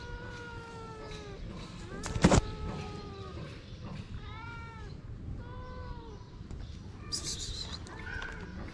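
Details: Homeless street cats, a mother cat seeking affection and her shy kittens, give a series of short arched meows, several rising then falling, spaced a second or two apart, with a sharp knock early on and faint outdoor background.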